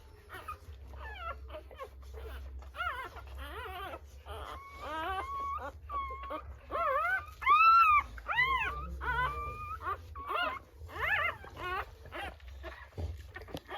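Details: Rottweiler puppies at birth crying in quick, uneven whimpers and arched squeals that rise then fall, one louder cry standing out midway, with a low background hum throughout.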